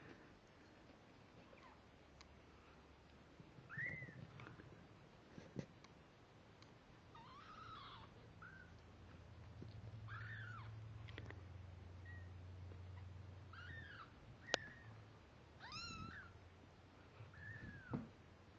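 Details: Kittens at two weeks of age, just beginning to see, hear and walk, utter scattered high mews, some rising then falling with buzzy overtones, spaced a few seconds apart over a low rumbling background.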